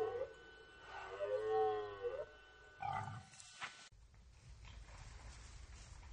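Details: Red deer in rut at the Orzysz military training ground, Poland, archival recording: one drawn-out groaning roar with stacked harmonics swelling and fading over about two seconds, then a short rough grunt and a sharp knock.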